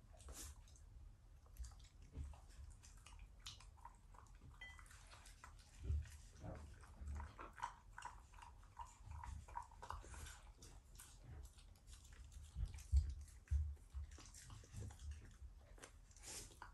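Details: A Shiba Inu growling indoors as part of its morning routine, an affectionate, not angry, family dog: low rumbling pulses repeating irregularly, with soft clicks, rustling and occasional faint human sounds.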